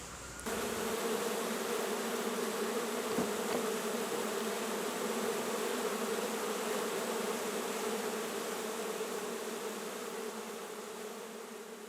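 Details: Honey bees from a colony being removed from inside the top of a porch post in Grove City, Ohio, in July 2020; a steady, dense droning hum holds unbroken throughout, with low, even tones and a faint hiss above.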